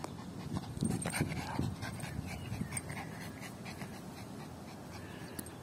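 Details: Yorkshire Terrier playing fetch with a ball, panting in quick, rough breaths at about two or three per second, with a man's voice just before and after.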